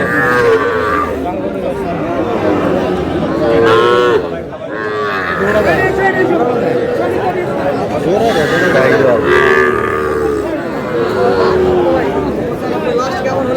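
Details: Small bull calves being bought by a farmer at a cattle market in Comilla, Bangladesh, on 10 June; low, rising-and-falling moos recur through steady crowd chatter and bargaining voices.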